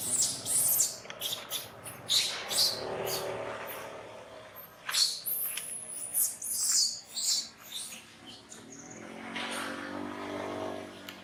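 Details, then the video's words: Monkey Brady crying while being disciplined by monkey Rose at Angkor Wat Park; loud shrill high-pitched cries come in rapid, uneven bursts, with a lower wavering wail near the start and again toward the end. "Sound Cry From Brady Under Monkey Rose Discipline"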